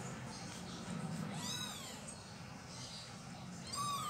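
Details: Domestic cat family as a mother cat moves her kittens: a few high, arched kitten mews around the middle and end, over a steady low hum and background noise.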